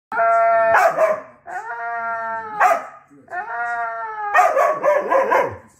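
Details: Siberian Husky giving drawn-out, tonal whining howls, three long sustained cries, each broken by rough, growly, yodelling bursts; no other sounds.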